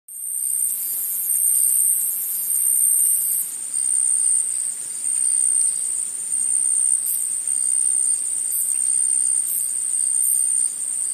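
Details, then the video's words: Insects calling in a forest: a dense, steady high-pitched shrill drone with a faint ticking texture, rising and falling in loudness in blocks every second or two, with a few brief brighter bursts late on. "Insects In The Forest Sound Effect"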